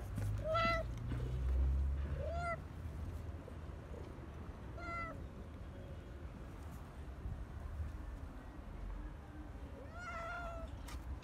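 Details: Stray cats being fed in parks and streets, with four short rising-falling meows spaced about two seconds apart, then a pause and one more meow near the end, over steady low rumbling traffic-like background noise.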